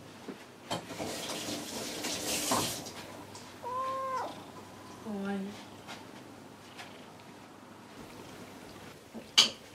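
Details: House cats Kuri and Gon in the evening, one craving attention, the other grooming itself; two brief meows come mid-recording amid running-water hiss, rustling and a sharp knock near the end.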